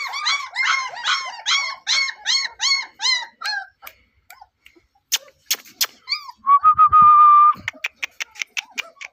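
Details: German Shepherd puppy with a double coat: rapid series of high squeaky yelps, about three per second, then scattered clicks and a sustained whine, indoors.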